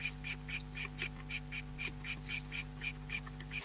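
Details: A guinea pig chirps in a fast, steady, bird-like series of high squeaky notes over a low hum. Chirping is linked to fear, when scared and frozen in place. It is rare: heard only twice, both times from a female that scares easily.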